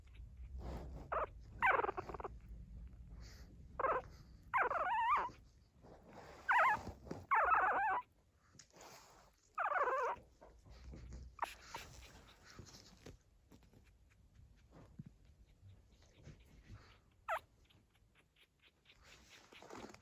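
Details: Pug puppies at 14 days old, newly walking, give soft low noises while their mother watches over them: a run of short whining, moaning calls about every one to two seconds, fading to faint squeaks later.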